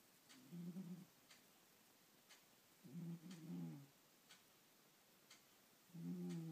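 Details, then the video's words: Sky, a snoring pet cat, gives low, buzzy, harmonic snores lasting about a second each, three within a few seconds, while a clock ticks steadily about once per second in a quiet indoor room. "Sky - The Snoring Cat"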